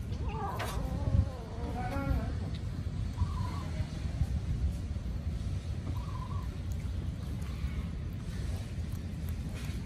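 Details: Hungry kittens crying loudly and chasing each other while eating; a burst of high, wavering harmonic mews in the first two seconds, then fainter short cries every few seconds over a steady low rumble.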